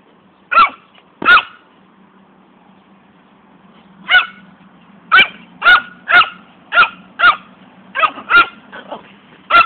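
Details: Pet female poodle barking while chasing a ball it loves to run after: sharp, bright barks, some in quick pairs, about eleven over ten seconds at uneven intervals, with a steady low hum underneath.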